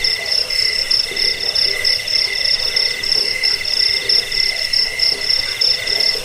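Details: Continuous shrill cricket trill, shared as a sound for chasing off rats, aiding sleep and training birds, pulsing evenly at a high pitch with a paler lower band and scattered soft low calls in the background.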